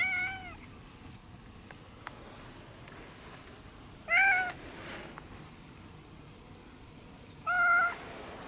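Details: Brown tabby and white house cat with a kinked tail meowing at someone's feet: three short meows spaced several seconds apart, the first cut off at the start, with quiet room noise between them.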